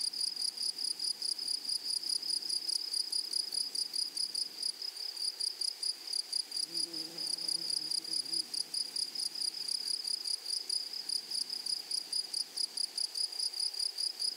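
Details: Meadow grasshoppers in flowering prairie grassland produce a dense, high, rapidly pulsing buzz that holds steady; a faint low murmur surfaces briefly midway beneath the insect chorus.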